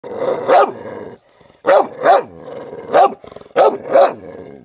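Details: A white dog barking in short, harsh bursts, often doubled, with brief pauses between groups, a drawn-out whining tone running beneath each burst.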